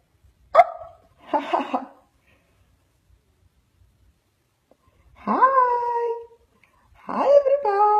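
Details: A yawning Husky puppy gives a couple of short sharp yips, then two drawn-out voiced yawns, each sweeping up and holding a steady rich tone for about a second, with silent gaps between.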